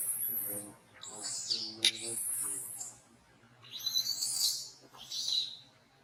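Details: Shrill crying from a monkey at Angkor Wat Park under discipline from another monkey; long, high screeching wails rise and fall, a brief sharp crack midway, then two more strained screams after a pause.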